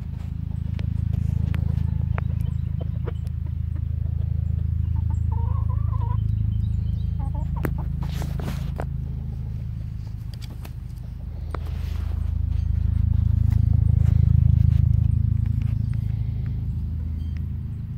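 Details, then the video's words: Sleeping pigs snoring at David Crockett Birthplace park: deep, low rumbling snores swelling and fading in long slow breaths, with faint bird chirps above and a brief noise burst midway. "Snoring pigs"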